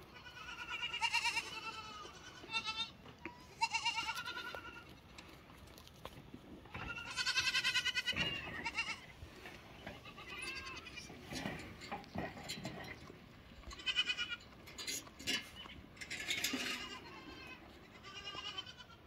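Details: Lambs giving a run of quavering, nasal bleats, several voices calling in turn with short pauses between, over a steady background hiss.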